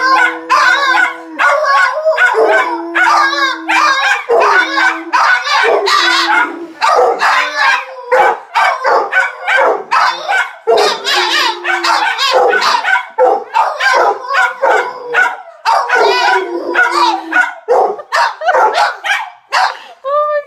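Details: Dog's broken-sounding alarm bark: a long run of rapid, hoarse, tonal yelps and howl-like cries, with a few lower steady tones between bursts, continuing for about twenty seconds.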